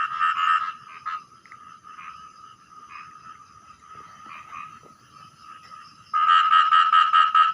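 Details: A small frog, heard at night while fishing, gives loud, rapid bursts of harsh, pulsed croaks that ring out clearly, surprisingly loud for its size.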